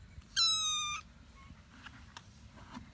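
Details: Kitten meowing: a single steady, high, bright mew lasting about half a second, followed by quiet room sounds with faint clicks and soft thumps.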